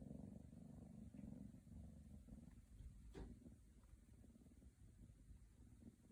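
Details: Scottish Fold kittens wanting attention, giving a low, soft purr that throbs in quick even pulses, with a single sharp click about halfway through.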